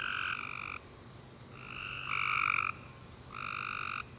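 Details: Tree frogs singing on a summer night after rain, three loud, harmonic, buzzing trills of under a second each, one voice overlapping another mid-clip.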